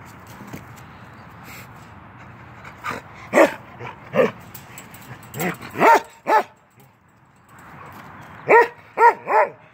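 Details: Ten-month-old male Norwegian Elkhound named Keweenaw playing through a fence, giving sharp barks in uneven clusters, a few scattered early then bursts near the middle and three quick barks at the end, with quiet gaps between.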